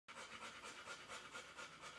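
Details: Newborn Airedale Terrier puppy, about one hour old, napping while its mother nurses another puppy; rapid soft breathy panting pulses repeat steadily for two seconds with a faint hiss throughout.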